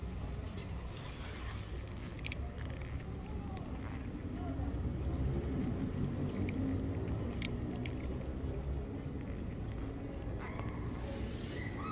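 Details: Low rumble of a passing vehicle and faint speech outdoors on a street, without any clear animal call.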